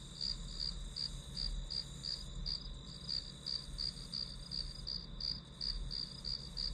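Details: High, clear insect chirps from the grass, spaced about three per second with small gaps, over a continuous thin hum and soft low rumble, serving as study background sound.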